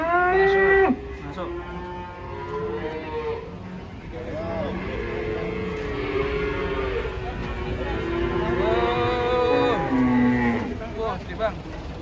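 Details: Giant cattle unloaded from a truck low steadily, long flat-toned moos drawn out one after another with several animals overlapping, people's voices faint behind.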